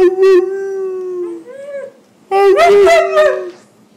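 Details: A husky vocalising to its owner about its day: a sustained level howl that bends upward at the end, then after a pause a louder, rough, yodelling howl with wavering pitch.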